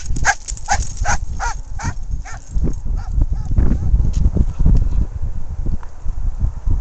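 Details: German Shorthaired Pointer, excited and eager to run free in a field, giving a series of short high whines and yelps, about six in the first two seconds, followed by panting and shuffling noises.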